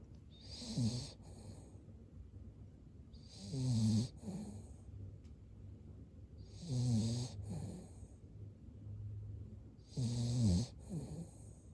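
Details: A Cavalier King Charles Spaniel asleep, snoring in slow rhythmic cycles about every three seconds: each rasping, rattling inhale is followed by a softer snorting breath, four cycles in all, in a quiet room.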